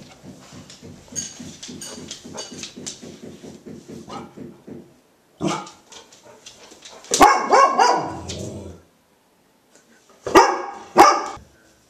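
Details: Female Golden Retriever barking muffled by her blanket while acting crazy mad; about five seconds of low, rhythmic grumbling pulses, then two separate loud bursts of rough, harmonic barks with short silences between.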